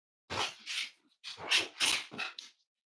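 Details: Cavalier King Charles Spaniel puppies, raised indoors as emotional support animals, snuggling together on a warm Friday morning: a run of five or six breathy, noisy snorts and huffs in quick succession, each a short rasping burst.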